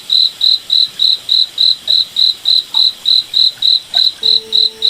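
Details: High, clean cricket chirps pulse at a brisk regular beat in a moonlit forest at night, with a quiet low drone appearing in the last second.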